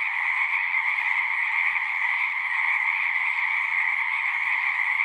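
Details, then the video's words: A chorus of many frogs singing outdoors, their rapid croaks merging into a continuous buzzing wall of sound with a strong upper band over a softer lower one, evenly loud from start to finish, nothing else audible. "One hour of singing frogs."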